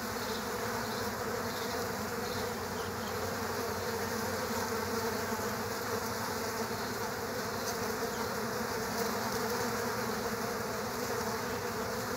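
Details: Killer hornets fighting bees at an underground bee nest: a dense, unbroken buzzing drone with a steady low hum and fainter high whine, holding even loudness for the whole stretch.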